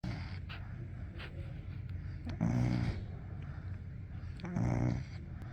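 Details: Golden Retriever puppy snoring in its sleep: two low, rumbling, harmonic snores about two seconds apart over a quiet indoor background.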